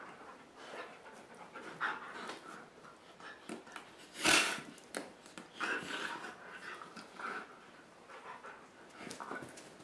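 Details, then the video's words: Indoor play on a rainy day, the boys' dogs flopping around on a dog bed; rapid breathy panting with scuffling, plus a sharp louder burst of movement midway and scattered thumps. "Dogs Playing inside on a Rainy Day"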